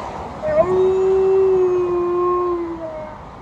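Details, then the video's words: Alaskan Malamute on a walk, giving a long, smooth, sustained howl that holds one pitch with a faint wavering overtone and tapers off after about three seconds. "A very long howling by Alaskan Malamute during a walk"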